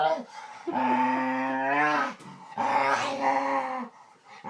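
A dog gives two drawn-out, moaning vocalizations, each lasting over a second, with a wavering pitch.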